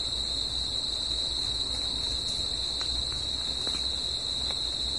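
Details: Singing crickets after dark, a sustained high, steady chirring band that never breaks, with a weaker higher tone above and a low hum of background noise.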